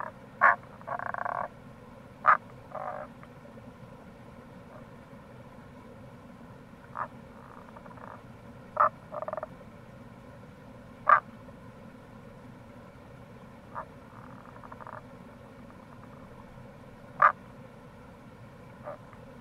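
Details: Tago's brown frog calling in April by the Kamo River near a gorge in Itoshima, Fukuoka, Japan: short sharp croaks and a few longer purring notes, scattered irregularly over a steady low rush of flowing water.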